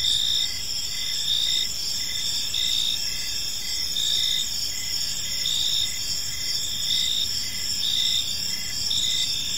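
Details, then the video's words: Gentle chirping of crickets in a park as evening unfolds: layered high trills and short chirps repeating nearly once a second, continuous and even, over a muted low-frequency background. "Park Serenade: Cricket Sounds in a Peaceful Park"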